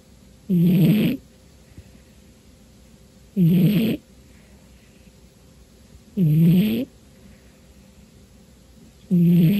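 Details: Sleeping house cat, worn out on a dark New Year's Day afternoon, giving four deep, buzzing, rattly snores at a steady pace of about one every three seconds, with quiet pauses between breaths.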